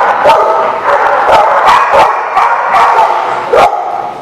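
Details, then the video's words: Several dogs bark on 28 June 2019 in a rapid string of loud, clipped barks roughly every half second. The barks are mixed with higher yips and a steady din of overlapping voices. "The Barking Lot"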